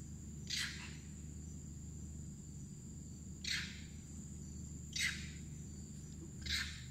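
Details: Wild monkeys along the Kinabatangan River in Sabah, Malaysia, give harsh, breathy alarm barks, repeated every second or two, warning of crocodiles in the river, over steady insect whine.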